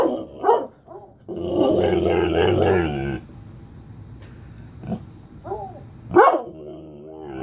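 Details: An angry German Shorthaired Pointer barks at a bloodhound on a TV show, giving sharp, loud barks with a rough, growly stretch in between.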